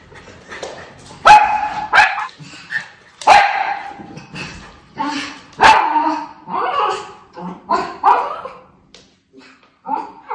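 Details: Miniature Schnauzer brothers Levi and Lucky outdoors in Aroostook County, Maine, August 2021. Levi keeps watch for crows and gives loud single barks every two seconds or so, with softer yips and a human voice between them.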